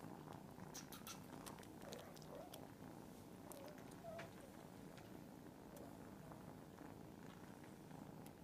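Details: Mass purring from a group of cats: a steady, rough low rumble running throughout, quiet overall, with scattered sharp clicks and ticks on top.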